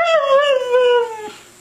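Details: Siberian Husky 'talking', a vocalisation said to sound like 'I love you': one drawn-out, richly harmonic howl that starts fairly high and slides steadily downward for over a second before fading.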